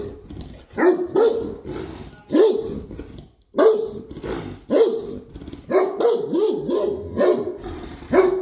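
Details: Indoor Great Dane giving a steady run of deep, resonant barks, about one or two each second, some doubled, with brief breaths and a short pause partway through.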